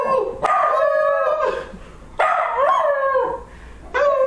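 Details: Dog howling in three drawn-out, tonal wails, each starting high and sliding gently downward, with a brief rising wobble in the second one and a fresh howl beginning near the end.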